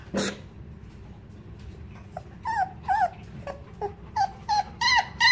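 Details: German shepherd boxer mix puppies, 17 days old, give a run of high, short whining whimpers and squeaks, some rising then falling, about one every half second, louder toward the end, after an opening sharp noise.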